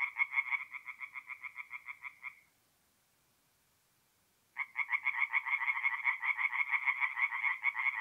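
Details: Tree frogs at a forest pond in north-east Italy on an April night: quick, regular croaks rattle for two seconds, stop for about two seconds of silence, then resume even faster and louder.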